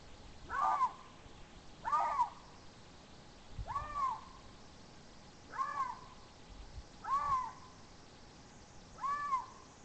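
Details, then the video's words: Mating call of a Eurasian lynx in Țarcu Mountains forest, Teregova, Romania, filmed by a Romsilva monitoring camera: six hoarse, rising-then-falling yowls at steady intervals of about one and a half seconds, with soft low thumps between and quiet forest background. "Strigătul de împerechere al unui râs"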